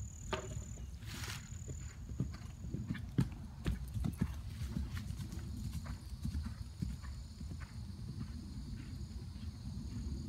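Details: A 2012 RPSI mare ridden over fences on her fourth such ride, 29 March 2016; scattered hoof thuds and sharp knocks over a constant low rumble, with a thin high tone in the background.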